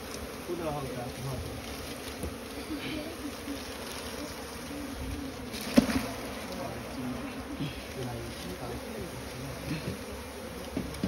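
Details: Asian honey bees (Apis cerana) nesting in straw give a dense, even hum, with brief knocks and quiet voices as smoke is applied to the nest.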